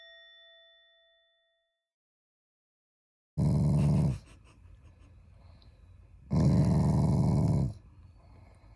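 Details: Affectionate Shiba Inu growling without anger: two short, deep, rumbling growl bursts a few seconds apart in a quiet indoor room, after a fading chime.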